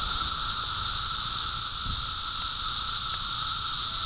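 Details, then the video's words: Thousands of 17-year periodical cicadas in a mass emergence at Park Ridge, Illinois, fill the air with a steady, unbroken high-pitched droning hiss, with a fainter humming band lower down that never lets up. "Cicada Invasion"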